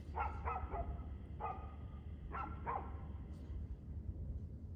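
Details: Barking dog recorded 2/6/2024, 6:02pm: five quick barks, a rapid pair then a single bark and another pair, each crisp and mid-pitched against a low droning hum.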